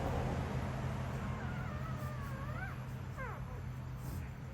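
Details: Puppies crying: a thin, high whine that wavers and climbs, then a quick pair of short falling whimpers, set against a steady low rumbling background noise.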